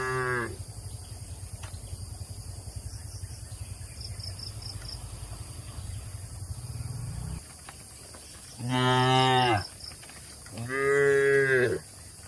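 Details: Cattle grazing on grass amid oil palm trees in Indonesia; a moo ends at the start, a low engine-like rumble runs for several seconds, then two loud, deep moos follow about two seconds apart, with insect chirps overhead.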